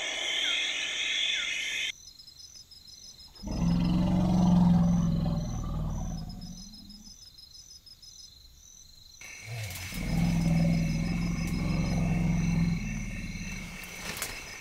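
African forest elephant giving two deep, drawn-out rumbling calls, each lasting about three seconds.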